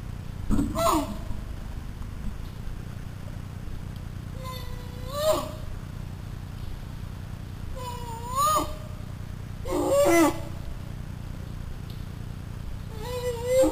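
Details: Lost American black bear cub, one of three, crying loudly for its mother after she left a deer feeder, seen on Hidden Pond cam on August 20th, 2009; rising wailing bawls repeated every few seconds over a steady low hum.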